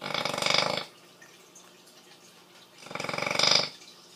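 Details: Female bully dog asleep, snoring like a pig: two raspy, rattling snores that swell in loudness, with a long quiet gap between them.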